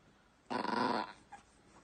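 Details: A miniature Yorkshire Terrier, when stroking stops, gives a half-second rasping, grumbling whine with a pulsing, throaty texture.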